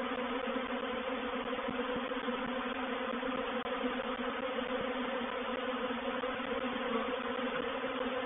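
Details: Honey bees in a reproductive swarm filling a bait hive at Painted Peacock Manor on 04/07/21; a steady, dense hum of many wings with a single faint click partway through.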